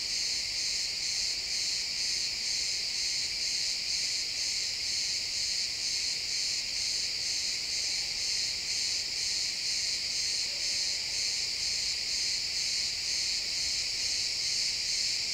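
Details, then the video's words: Crickets in a pine forest at sunset, XY stereo real-time recording: an unbroken high-pitched chirping chorus with rhythmic pulses about twice per second, plus a faint low tone briefly audible midway. "Cricket sounds in the pine forest"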